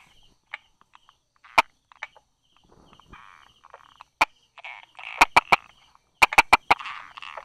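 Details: Buerger's frog tucked by rock crevices and small grasses, 22 July 2016, 10:44: scattered single taps early on, then two tight bursts of dry clicks near the end, amid soft buzzing of nearby frogs.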